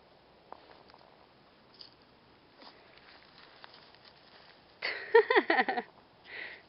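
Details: Female Old Family Red Nose pit bull puppies, five weeks old, from Jack and Flare's 2011 litter, playing around a person. Quiet scuffling and pattering give way to a quick burst of about six whiny, downward-sliding yelps, then a softer trailing whine.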